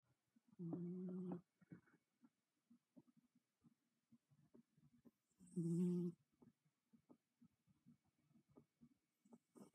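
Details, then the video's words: Sleeping cat snoring, with two short nasal, humming snores about five seconds apart and faint soft clicks and rustles between them. "Snoring cat"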